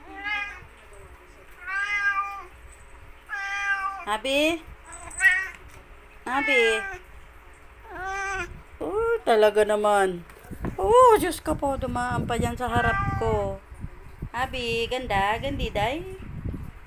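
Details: Cats meowing for attention indoors: a run of drawn-out, rising-then-falling meows, a few seconds apart at first, then crowding into longer, wavering wails and overlapping cries in the second half, with some faint human voice mixed in.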